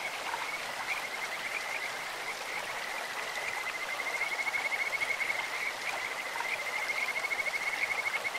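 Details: Kajika frog at a clear stream producing a bird-like high trill, almost continuous, with rapid beaded pulses strengthening toward the end. A strong, steady rush of water fills the background.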